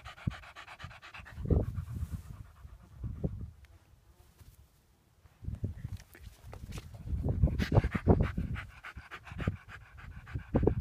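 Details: Lurcher chasing a rabbit and narrowly missing it, heard in heavy, low panting bursts that come in uneven clusters, broken by a quiet gap of several seconds in the middle, over a faint steady background hum.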